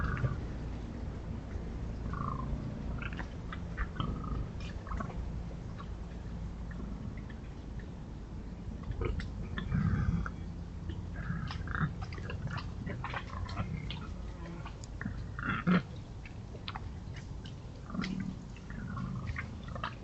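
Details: Wild boars in the Forest of Dean, scratching themselves, give low, soft grunts and snuffling noises amid scraping and rustling sounds.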